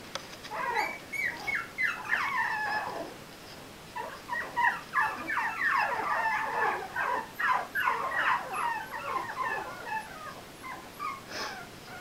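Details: A litter of four-week-old puppies belonging to Sugar, just discovering toys, fills the air with overlapping high squeaky whines and yips that sweep downward, tumbling out in quick, irregular bursts with short pauses between.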